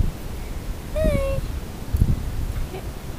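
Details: Elie, a little Chihuahua and the youngest puppy of the household, held up to greet: one brief, thin, tonal whine that falls slightly in pitch, over rustling handling noise and room sound.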